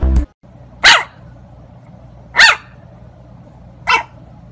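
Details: Dog from a compilation of funny, cute puppy moments barks three times, short sharp broadband barks spaced about one and a half seconds apart, over a low steady hum.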